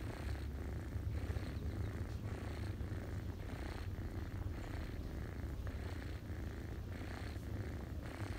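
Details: A ginger cat purrs while feeding kittens, all curled on a person's knees in autumn; a dense low rumble with even in-out breathing cycles repeating roughly every half second, with no other sounds.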